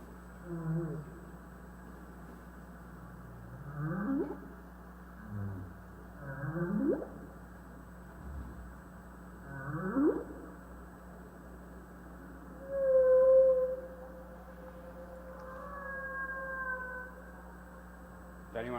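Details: Humpback whale song recorded in U.S. West Coast National Marine Sanctuaries, the middle theme: low moaning calls sweeping up and down every two to three seconds, then a long steady tonal note followed by higher wavering notes.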